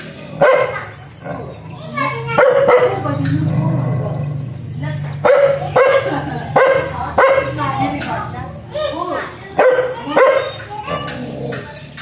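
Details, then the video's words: Aggressive dog barking in short harsh bursts, often in pairs or threes, with a low rumbling sound between barks around the third and fourth seconds and a steady faint tone in the background. "Suara anjing galak menggongong_dog sound"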